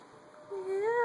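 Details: Domestic cat giving a single crying meow indoors, a rising then slightly falling drawn-out wail of about half a second with clear harmonics, ending abruptly; quiet room background.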